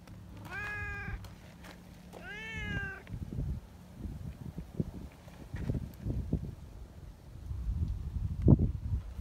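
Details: Friendly tabby community cats seeking affection and petting; two clear, tonal meows, the first short and flat, the second longer and slightly rising then falling, over steady low rumbling outdoor background noise and soft shuffling.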